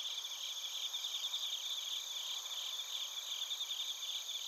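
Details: Several crickets, bell crickets among them, in Narita, Chiba, Japan, recorded with a TASCAM Portacapture X8. A softer, dense chorus of overlapping high trills shimmers unevenly over a faint hiss.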